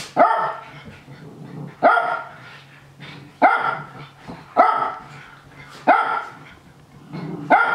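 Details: Nana, a Japanese Spitz, cheers on the young dogs' play-fighting with bright, clipped barks roughly every one to one and a half seconds, six in all, over faint rustling and low grumbles from the tussling pack.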